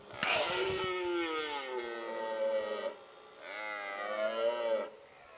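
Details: Male red deer roaring in the rut, its typical mating-season call, recorded with a Nikon D7100 and Nikkor 300mm lens; two long, rich, groaning bellows, the first opening with a harsh rasp, separated by a brief pause.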